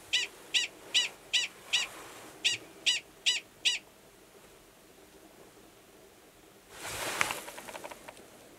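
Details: Male Gunnison's prairie dog calling for mating near a female's burrow, New Mexico, March 2017; nine rapid, regular high barks about 0.4 seconds apart, then quiet and a burst of rustling noise.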